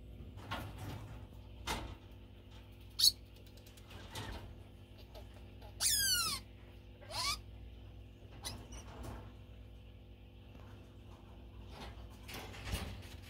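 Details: A pet degu gives sharp, high squeaks that sweep steeply downward, clamouring for food as feeding time approaches, as it does every day.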